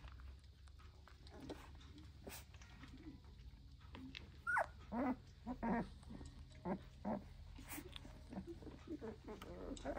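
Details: Red Goldendoodle puppies of medium to small standard size at a breeder, indoors. High, short whimpering squeaks and yelps come in quick bursts through the second half, over a low steady hum.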